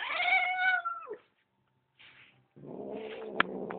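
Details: Indoor female pet cat pleading to be let outside, owner refusing over dogs outside; loud long wailing yowl that falls away, a short pause, then a second drawn-out moaning cry with a sharp click near the end.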